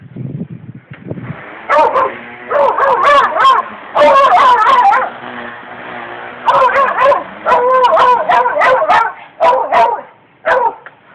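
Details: Nikki the dog barks at a weed wacker, firing rapid runs of loud, raspy barks and yips in clustered volleys, pausing briefly between bouts, while the trimmer's motor hums underneath.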